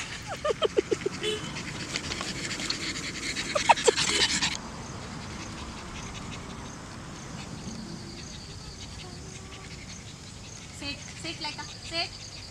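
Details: Laika, a pug nearly six months old, on her first outing to a nearby park, gives a few short, yipping barks early on, a louder burst near four seconds, then softer breathy sounds over steady outdoor background noise.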